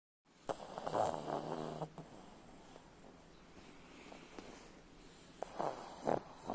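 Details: Pug snoring in two rough, rattling bouts. The first runs about a second and a half and holds several throaty pulses, then a quiet pause with soft breathing, then a shorter burst of snorts near the end.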